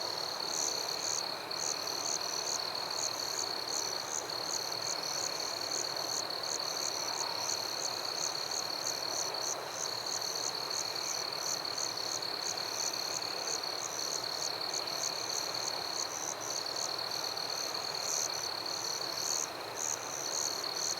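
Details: Crickets and assorted insects in a forest after dark: a ceaseless piercing trill with brief dips, beneath quick, regularly pulsed higher chirps repeating several times per second, and a dense, even hiss of distant callers throughout.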